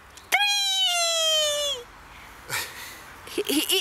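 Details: Happy, a 9-week-old West Highland White Terrier pup, plays delighted and active in a backyard with its owner; one sustained high whine of about a second and a half sinks slowly in pitch, followed by human voices.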